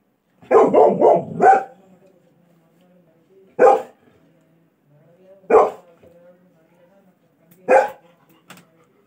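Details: A puppy crying outside a home gives a quick burst of four sharp yelps, then single yelps about every two seconds.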